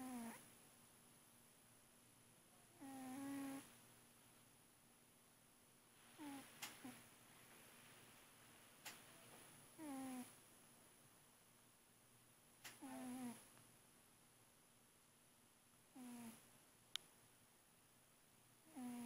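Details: Fat male domestic cat asleep and snoring indoors: soft, short nasal snores repeating about every three seconds over quiet room tone with a faint steady high hum.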